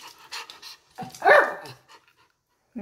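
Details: Schnauzer worked up on grooming day, giving soft huffs and then one loud, rough bark that fades into quieter breathy sounds.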